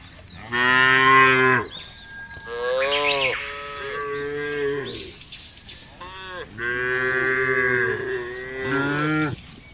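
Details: Tame cattle of a fattening herd, released to graze freely on a wide pasture in a village area: two long, loud harmonic moos, with a shorter wavering moo between them and a rising bellow at the end.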